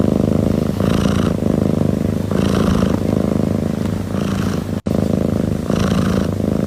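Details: A single cat purring continuously and steadily. Dense, vibrating purr that swells and eases with each breath about every second and a half, with a brief dropout near the end.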